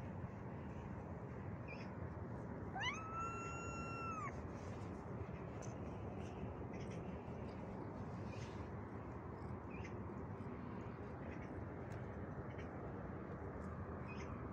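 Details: A cat, seen cleaning itself and looking up in surprise, gives one clear harmonic meow lasting about a second and a half. It rises at first, then holds level, over a steady background hiss.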